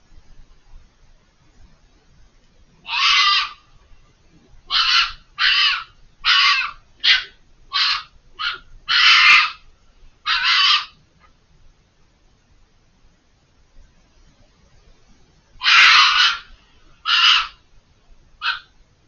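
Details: A vocal fox out of sight on the far side of a hedge screaming in a long series: about ten hoarse, shrieking bursts packed closely, a pause of several seconds, then three more, each short and rasping.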